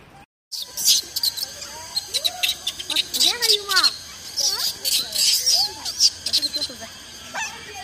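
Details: Baby macaques crying while their mothers care for them: a string of short, arched, wailing cries that rise and fall in pitch, coming in quick irregular bursts over a loud, steady high buzzing hiss.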